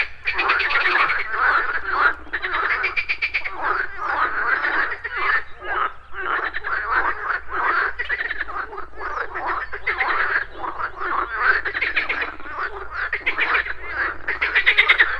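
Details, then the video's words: Many frogs croak together at a pond in the morning, rhythmic rattling pulses in repeated bursts over a continuous low hum. "MORNING FROG POND - Nature of Relaxation, Nature Sounds, Frogs Croaking, Pond Sounds"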